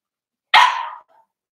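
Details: Four-week-old Cavalier King Charles Spaniel puppy from Daisy's litter, kept in an indoor pen, gives one sharp, high, half-second yip that trails off quickly, then a faint squeak.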